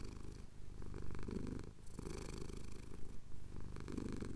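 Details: A male domestic cat purring while his chin is scratched at sunrise over the Cotswold hills, captured on a Tascam DR-07X; a low, steady rumble that swells and dips with each breath, with brief pauses between breaths.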